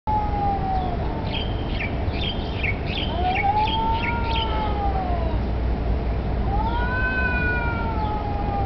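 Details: Street cats, possibly challenging each other for territory or mating, give long drawn-out wavering yowls that rise and slowly fall, with sharper higher cries between them over steady low traffic rumble.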